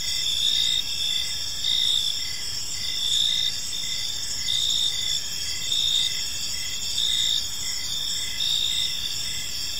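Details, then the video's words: Crickets chirping on an evening in a peaceful park: a dense, high, continuous shimmer with steady pulsed chirps repeating about every second, forming an unbroken insect chorus. "Cricket Sounds in a Peaceful Park"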